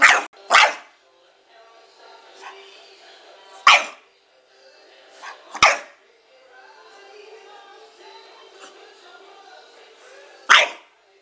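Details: A bored French Bulldog that isn't allowed in the bedroom barks there for attention, giving short, sharp barks spaced several seconds apart over soft music and speech.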